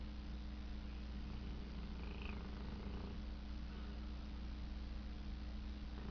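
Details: Tank, a pet dog, snoring while asleep and dreaming: a low, rough, rasping snore with a brief thin high whine partway through, over a steady electrical hum.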